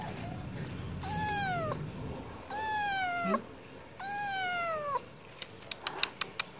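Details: Stray cat begging for wet food, giving three clear drawn-out meows that slide gently downward, each under a second long, followed by a run of sharp clicking taps.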